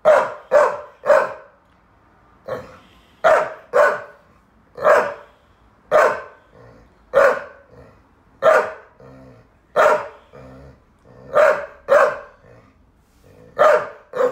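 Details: Lizzie the Saluki, a former abused rescue dog, complains loudly after her playmate Fred the Staffy Ridgeback tires of playing: a long, steady run of short, harsh barks roughly once a second, sometimes in quick pairs or triplets.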